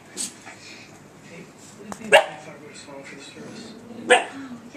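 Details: Faith, a pet puppy, barking at her reflection off a laptop indoors; two short, sharp barks spaced about two seconds apart, with quiet speech and household background sound between them.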